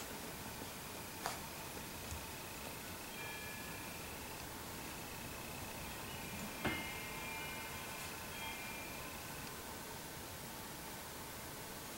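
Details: Faint chime-like tones and a few sharp ticks sit over a steady indoor hiss, with no animal voice heard.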